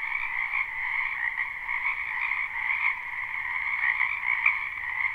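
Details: Frogs croaking in spring in a wetland behind a house, live recording: a dense, continuous chorus of overlapping trilled calls forming steady bands, with no pauses and no other clear sounds.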